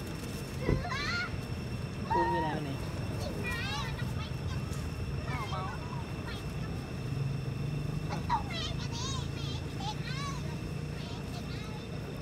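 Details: Newborn baby monkey crying for the first time when something is wrong; high wavering squeals that rise and fall in short bursts, several spaced across the stretch, over a steady low rumble of background noise.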